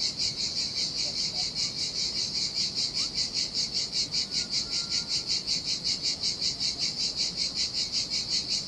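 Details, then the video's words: Cicadas singing in summer heat beside a desolate beach on the Sardinian sea: a loud, high, hissing buzz pulsing steadily about two to three times a second, over the soft low wash of ocean surf. "Ocean Waves & Cicada Sounds - The Most Relaxing Waves Ever - Cicadas by the Sea"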